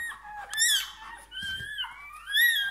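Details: High squeaks and sliding squeals from a Bernese Mountain Dog puppy just born, several short rising and falling cries in quick succession indoors, with a soft thump in the middle.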